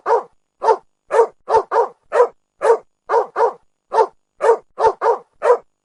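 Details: Dog barking steadily, about fifteen sharp, mid-pitched barks in six seconds, some single and some in quick pairs, against a silent background.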